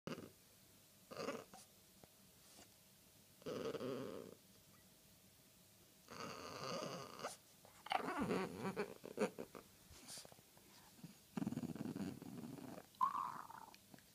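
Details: French Bulldog talking indoors: a series of short grumbling, groaning vocal bursts with harmonic whines, separated by brief pauses, some rising into higher nasal squeaks near the end; quiet room otherwise.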